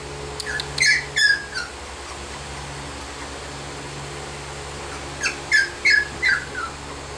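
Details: Female Sheepadoodle puppy, 20 weeks old, whimpering indoors: two bursts of high, squeaky, downward-sliding whines, about four notes each, separated by a quiet pause, over a steady low hum.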